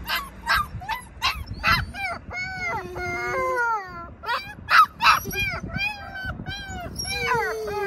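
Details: A stressed puppy, separated from its worried mother, mixes sharp yelps with long wavering whines and falling whimpers that slide downward. The whining is drawn out between bursts of louder crying.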